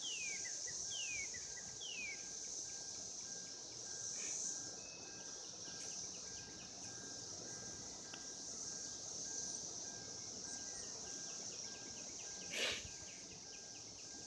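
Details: Cicadas calling to mate in 2016, a steady high-pitched droning chorus that never breaks, with a few descending whistled bird notes at the start and a brief sharp click near the end.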